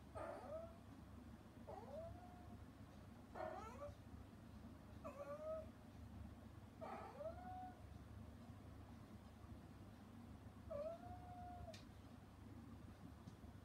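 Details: Calling to her kittens through frosted glass after being shut out of their weaning meal, mother cat Hana gives six meows in ten seconds, mostly rising-then-falling wails, then a pause before a last long one; low hum underneath.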